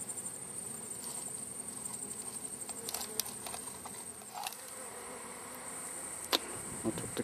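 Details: Bees of a wild hive humming steadily while the hive is collected, the dense drone broken by several sharp clicks and taps from handling near the end.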